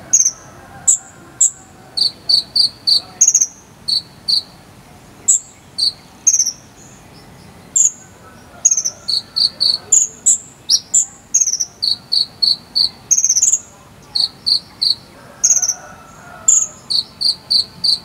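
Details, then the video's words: Jangkrik sambung cililin cricket used to teach a konin bird: steady sequences of high, pulsed chirps switching between a lower and a higher tone, in quick clusters with short silences, over a faint quiet background. "KONIN ISIAN JANGKRIK SAMBUNG CILILIN"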